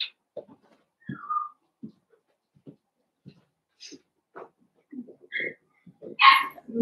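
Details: Young blenheim Cavalier King Charles Spaniels, one of a five-puppy litter born on New Year's, in a home pen: a string of brief low grunts and soft whimpers, a thin descending whine, then a loud sharp yip near the end.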